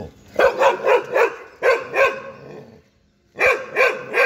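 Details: Two Labradors and a German Shepherd, out walking, bark in quick bursts of sharp, harmonic barks, with a brief pause between volleys.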